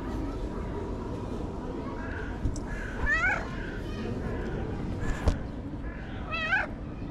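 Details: Stray cat behaving like a tiny baby, letting out two clear, wavering meows about three seconds apart, each rising then falling, against constant low background noise with a brief click between them.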